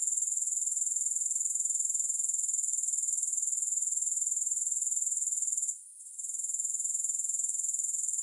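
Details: Grasshopper chorus as an even, high metallic trill throbbing about four times per second, with one brief silence near six seconds before it resumes.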